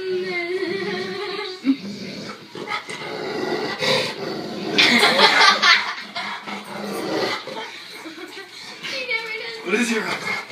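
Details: Maggie the Labrador Retriever grunting and whining at home on Thanksgiving; drawn-out moaning tones with steady pitch open and close the stretch, broken by rough growly grunts, while people talk and laugh nearby.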